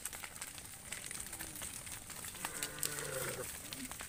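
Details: A tame cow gives a short, low moo against a steady background hiss, at sunset while the herder leads the herd back to the farm pen.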